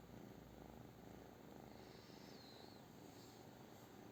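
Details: Continuous soft purr from a British Shorthair cat, low and evenly pulsed, with a faint brief high whistling sweep heard midway.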